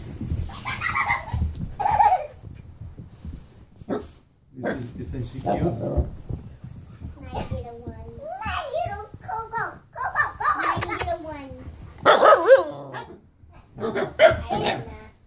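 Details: Husky puppies playing give wavering, high whines and yips, with a person talking nearby.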